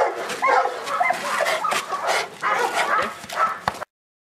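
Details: Presa Canario male during a protection work test, giving loud, rough barks repeated roughly twice a second in irregular runs, with steady background noise, ending abruptly near four seconds.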